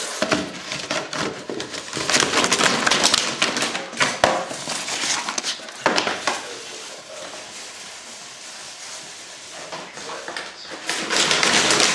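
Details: Cardboard crinkling, scraping and knocking indoors, with brief human voices and no animal vocalizations.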